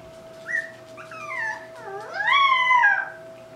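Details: Irish Black and Tan Jack Russell Terrier puppies, two females and two males whelped October 24, 2014, kept at home, giving thin high squealing whines that rise and fall, overlapping near the end, over a steady background hum.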